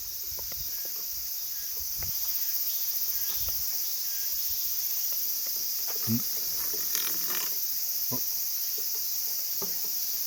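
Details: Many large brown cicadas on Cheonmasan on 23 August 2025 give an unbroken, high, sizzling drone like oil frying, holding level throughout, while a man collecting them speaks quietly now and then.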